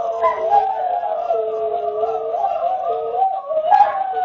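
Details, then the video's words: Group roo from Greyhounds: layered, sustained howls at slightly different pitches, bending and dipping in unison, an unbroken mournful chorus throughout. "Greyhound Roofest"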